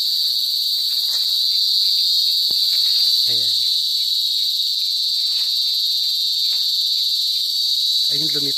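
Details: Singing cicadas (kuliglig, duli duli in Bicol) recorded in rural province life: an unbroken, shrill electric whine holds one high pitch, with two brief low voices or laughs cutting in near the middle and end.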